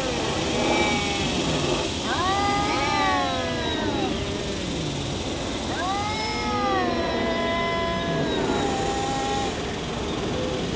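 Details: Two domestic cats fighting, one a black cat named Shadow, making weird, funny noises: long wavering yowls with rich harmonics, rising then slowly falling, three drawn-out cries overlapping at about two, six and eight seconds, against steady background hiss.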